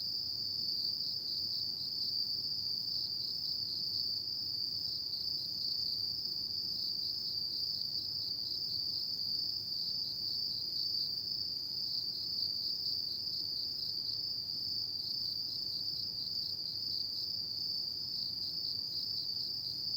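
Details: Autumn night insect voices forming one constant piercing trill, thick and seamless from start to finish, with gentle low ambient noise beneath and nothing else standing out.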